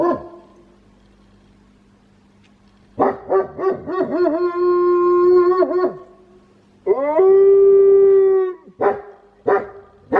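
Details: Wolfdog kept as a pet at home, known for its odd howl: a run of warbling, wavering notes settles into a steady held tone. A second clean, sustained howl follows, then short yelping bursts.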